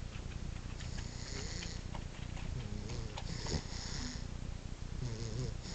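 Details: Napping dog Jakob (Jake) snores with a continuous low, rough rumble, punctuated by breathy hissing inhales and a few faint higher whimper-like tones.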